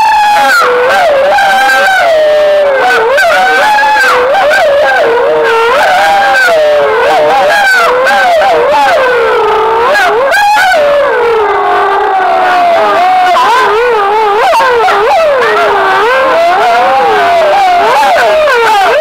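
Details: Several gray wolves in Foreste Casentinesi National Park, Italy, answer a howling stimulus during a 2013 census, giving a long, wavering chorus of overlapping rising and falling howls used to triangulate their range and estimate numbers.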